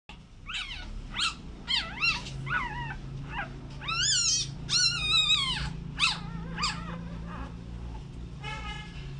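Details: Newborn American Bully puppies, with a mother described as very over-protective: a run of high, wavering whines and squeals, each rising then falling, about a dozen in nine seconds over a low steady hum.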